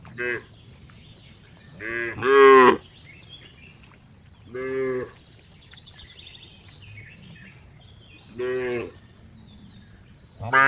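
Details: Cow calling in short bursts of rich, nasal moos, one loud drawn-out call early followed by shorter calls every few seconds, with faint high chirps of birds in the background.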